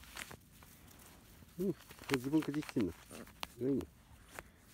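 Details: Thirty-one-day-old field-type Labrador Retriever pups out on a lawn give short, wavering, arched whimpers in several bursts, with soft rustling and footsteps in the grass between them.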